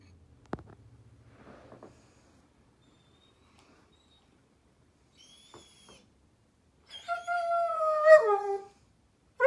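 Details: German Shepherd puppy at bedtime: a click and soft rustling, a long quiet stretch with faint sounds, then one loud drawn-out whine that wavers and slides downward, and a new whine beginning at the end.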